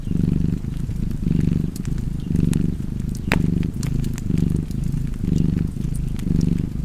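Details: Cozy domestic cat purr, deep and continuous, pulsing in roughly one-second breath cycles, while a log fire snaps and crackles now and then.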